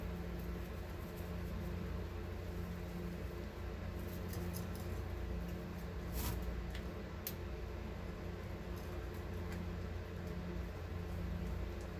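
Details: Only a steady low mechanical hum with a few faint clicks is heard, and no animal voices.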